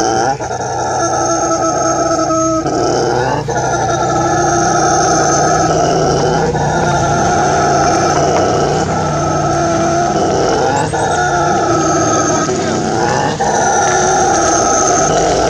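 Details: Brown howler monkey (Alouatta guariba), a long continuous guttural howl, droning and growly, with rough pulsing swells and slight rises and falls in pitch over about fifteen seconds.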